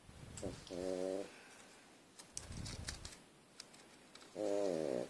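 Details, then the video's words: A pug asleep, snoring loudly like a crop-duster plane: buzzy, droning harmonic snores of about half a second, with a softer breath between them, in a quiet room with occasional small clicks. "Мопс храпит как кукурузник"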